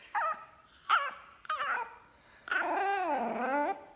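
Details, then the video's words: A fawn, black-masked Pekingese puppy, upset that his feline sister found his food bowl, 'talks' in short whiny yips, then gives a long wavering, moaning howl. "Talking Pekingese Puppy"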